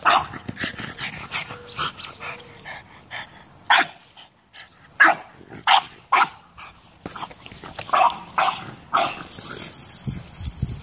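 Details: French bulldog barking while playing soccer, giving short sharp yips and barks in irregular bursts mixed with thumps and scuffling noises.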